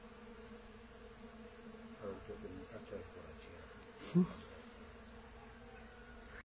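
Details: Pollen-collecting honey bees on small thuja trees, an even low-pitched drone with overtones, a short loud thump just past four seconds, and a strong rumbling low background.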